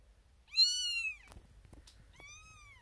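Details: Female kitten Xena Thumbalina, born April 1st, 2021 and first of her litter, calls out from a birthing box with six other kittens; one strong, high, drawn-out meow, soft clicks, then a quieter second meow.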